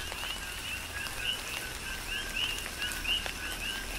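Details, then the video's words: Rhythmic chorus of coqui frogs in a tropical rain shower, Big Island of Hawaii; many two-part calls overlap, each a low tone then an upswept whistled chirp, above steady hissing rain and occasional drops. "Tropical Rain & Coqui"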